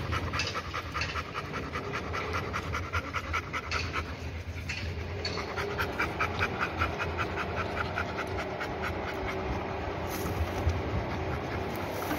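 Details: Labrador Retriever panting fast and unevenly, about two and a half breaths a second, a breathy hiss that softens briefly midway before resuming.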